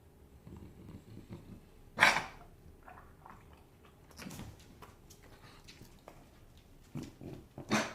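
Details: A sick English Bulldog puppy gives short, harsh, breathy coughs, spaced a couple of seconds apart.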